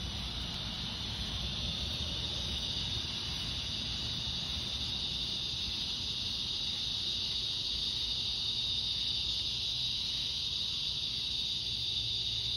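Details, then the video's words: Summer evening chorus of cicadas on August 4 as the light fades: an unbroken, high, shimmering drone holding steady throughout, over a faint low hum. "Evening Cicada Song Stroll"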